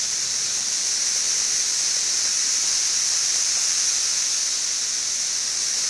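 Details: Seventeen-year cicadas of brood XIV massed on Frankfort's west side in Kentucky, June 2008, two weeks after emerging: a continuous high, hissing drone holding a constant level, with a slight rapid pulsing texture.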